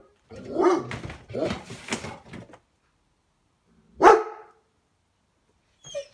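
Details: A German Shepherd barking at birds gives a run of deep, rough barks, then a single sharp bark after a pause.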